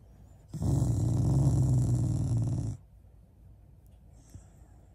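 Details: A pet Shiba Inu growls indoors as a sign of affection rather than anger toward its family. One sustained, low, rumbling growl lasts about two seconds with a buzzy overtone, then quiet room sound with a faint rustle.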